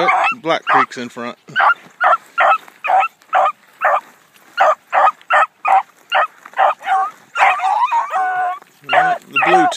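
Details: Blackcreek gyp Bee, a newly acquired hound on her first morning run. She gives rapid, loud chop barks in an uneven series of more than two per second, with a few longer wavering cries near the end.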